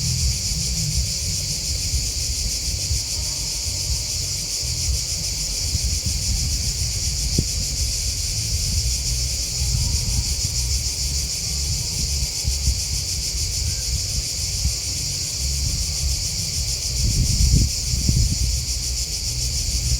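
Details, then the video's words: Crickets chirping in a dense, unbroken high-pitched chorus with a fine pulsing shimmer, over a steady low rumble that swells near the end. "Crickets Chirping Sound"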